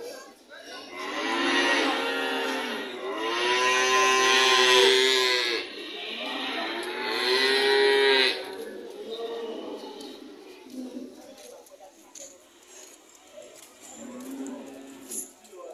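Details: Cattle lowing in long, harmonic-rich moos, two drawn-out calls over the first eight seconds followed by quieter, shorter lows, with faint background voices.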